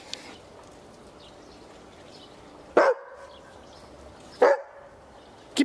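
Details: Berger Picard, the French sheepdog also known as the Picardy Shepherd, giving three sharp, short single barks a second or more apart against a quiet, steady background hiss.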